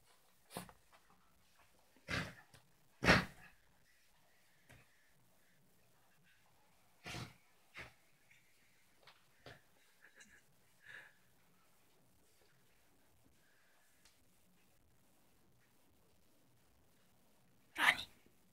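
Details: Pet Yorkshire terrier Ronnie snorting while playing in his bed and tugging at his pillow; sharp isolated nasal snorts every few seconds, some loud and broad, between near silence and faint rustling.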